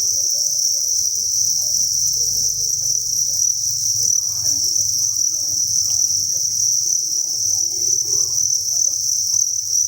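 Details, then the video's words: Crickets by the thousand at a cricket farm keep up an unbroken, high, ringing chirr, with soft low murmur and scattered knocks underneath. "Cricket Chirping Sound"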